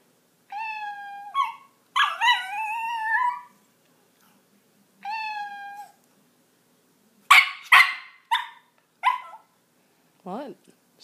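A Miniature Pinscher gives sharp, high yapping barks in quick bursts after recorded cat meows.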